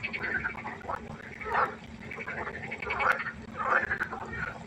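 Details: Night chorus of frogs at a pond, with short rasping croaks repeated roughly every second or so, several animals overlapping over a faint constant hum.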